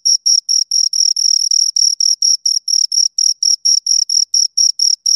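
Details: Two crickets stridulating in high, rhythmic bursts, roughly four a second, a few pulses running close together near the middle, against complete quiet.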